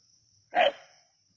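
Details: Single short bark from a native dog (naatu naai) at Keezhadi during a snake hunt, one sharp burst lasting under half a second with a steady high electrical whine behind it.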